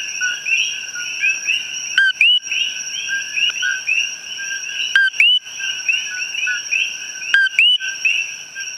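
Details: A calling male common coqui in the wild, recorded up close, gives its loud two-note 'co-QUI', a short note then a rising whistle, every few seconds.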